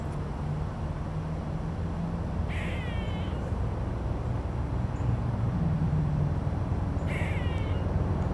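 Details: An eastern gray squirrel in Savannah, Georgia gives two harsh, nasal alarm calls over a steady low rumble of traffic.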